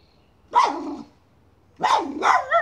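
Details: Two barks from a miniature schnauzer on a chipmunk hunt at a pipe: one single yap, then a longer doubled bark with a whiny rising-falling tail.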